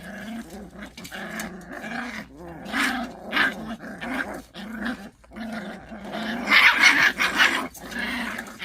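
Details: Pungsan dogs tussling over rank: a throbbing growl in short pulses, with gaps and snaps, then a louder stretch of harsh, noisy snarling toward the end.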